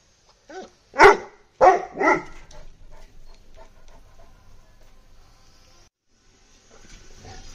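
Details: Bully Kutta kept in a cage lets out three quick harsh barks in the first two seconds, then only faint low background noise follows.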